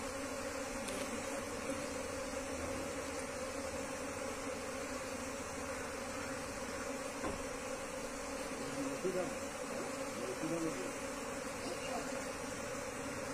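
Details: Steady collective buzzing of wild Asian honey bees as their colony is moved into a cultivation box, a level droning hum with brief louder wavering swells around the middle.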